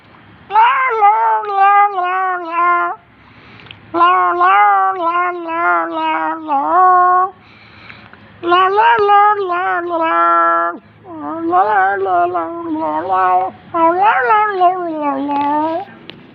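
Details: Domestic cat making strange, angry-sounding calls indoors: long runs of harmonic, wavering meows and yowls in bursts of two to three seconds with short pauses, pitch bending up and down, a voice speaking softly at times.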